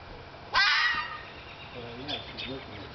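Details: Lone year-old red fox vixen calling to a male Siberian Husky in a front yard during spring courtship: one loud, hoarse, grating scream, followed by fainter short squeaky notes, with quiet background noise and people talking around it.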